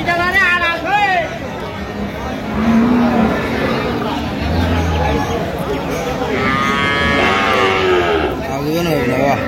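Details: A cow with calf at Ambari haat market in Dinajpur, Bangladesh, 31 October 2025, moos in long harmonic moans late in the stretch, layered over haggling voices and a constant crowd hum.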